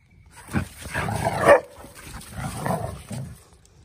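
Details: Female Rottweiler growling to warn off a male Schnauzer that tries to forcefully mount retreating dogs. A rough, low snarling growl runs for about three seconds and swells to a harsh peak midway. Quiet scuffling follows, with a woman's voice just after.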